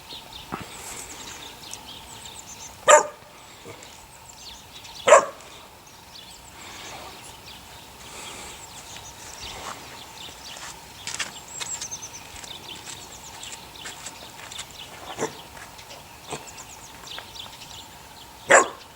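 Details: Six puppies, eight weeks old, litter of the neighbour's dog Sunny: a few sharp, high yapping barks burst out at irregular moments, far apart, over a steady background of chirping birds.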